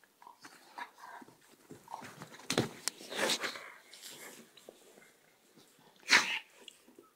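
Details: Border collie and Czechoslovakian wolfdog in a staged attack indoors in a small room; rough snarling and huffing bursts, with a sharp yelp-like spike near the end over scuffling.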